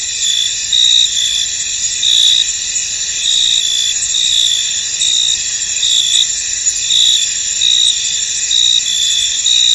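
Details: Crickets calling in a fog-covered field, a thick wall of shrill, high ringing trills, the volume lifting in short swells at irregular intervals of about a second.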